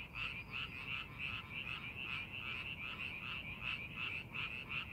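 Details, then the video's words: Rice-paddy frogs during pre-planting preparation produce a lively chorus of rapid rasping croaks, close to three a second with overlapping voices, over faint low-pitched background noise. "농사준비하는 논에서 개구리 울음소리"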